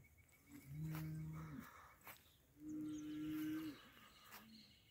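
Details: Heifer mooing twice: a long, low, steady moo of about a second, a short pause, then a second moo pitched higher that ends with a brief falling tail. Faint outdoor background with some clicks.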